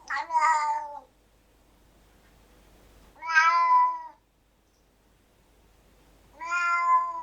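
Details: Angry domestic cat meowing loudly, three separate meows about two to three seconds apart, each sliding briefly and sounding strained and nasal, with quiet room hiss between calls.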